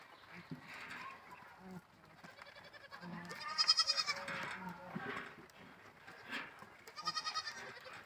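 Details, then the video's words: Goats at play give several quavering, harmonic bleats, the loudest a wavering cry near the middle followed by a shorter trembling bleat near the end, with scattered low thumps and rustling between calls. "goats playing dead funny videos ! goats game funny videos ! funny goats playing videos"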